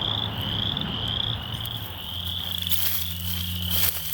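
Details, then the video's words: Frogs calling in Michigan on 27 March 2023, a steady high-pitched trilling chorus running unbroken through the whole stretch, over a low droning engine hum with faint outdoor rustling. "Just Some Frogs Making Noise"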